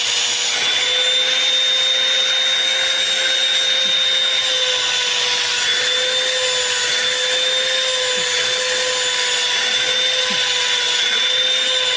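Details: Constant loud whirring of a vacuum cleaner or power tool, with steady high hissing and a faint tonal hum, and no animal heard.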